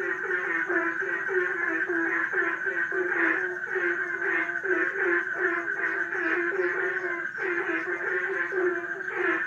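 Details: A dense frog chorus in a pond of rapid, overlapping croaks and pulsed trills, steady and unbroken.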